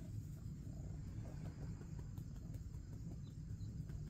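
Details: Male domestic cat purring while seeking attention and being petted; low, steady, continuous rumble with fine rapid pulsing and no breaks.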